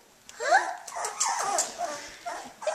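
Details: Eighteen-day-old Australian Shepherd puppies just beginning to play make a string of sliding squeals and yelps, several overlapping and rising then falling, one loud burst at the start and shorter ones after.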